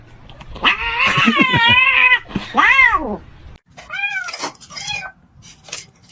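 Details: Domestic cat meowing in a loud, wavering, drawn-out call that rises and falls over about two seconds, then a bent, arching meow and shorter higher meows, with background music and people talking.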